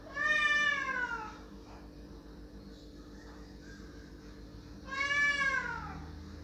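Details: Domestic cat crying loudly to have a door opened: two long, loud, harmonic meows, the first falling away over about a second, the second after a four-second pause, with a steady low indoor hum between them.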